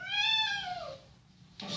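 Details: A seven-month-old male Persian kitten with blue eyes and a white coat cries for his mother in a downtown Denver hotel. One drawn-out, high, harmonic mew slides downward and fades, then a voice starts briefly.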